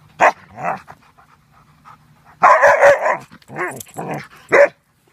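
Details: Several Alaskan Malamutes being playful and boisterous; loud harmonic barking and woo-like yowling bursts come in quick uneven runs, some rising then falling, with a longer noisy outburst midway, and a person talks to them before and after.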